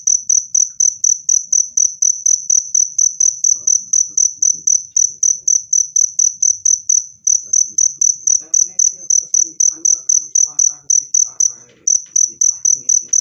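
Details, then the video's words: Steady high-pitched cricket chirps, used to repel rats and to calm stressed birds. The chirps come about four times per second with two short pauses, and faint rustling and knocking sounds occur partway through. "SUARA JANGKRIK PENGUSIR TIKUS jernih dan keras"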